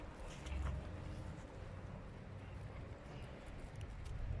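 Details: Low rumbling vehicle and wind noise fills the recording, with a faint murmur of distant voices and no animal sound.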